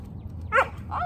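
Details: A five-month-old Welsh Springer Spaniel puppy in training gives one short, high yelping yip, then a softer second note; low background hum throughout.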